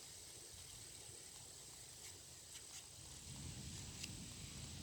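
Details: Meadow insects give a steady, high-pitched drone that hums without pause over a low rumble of wind.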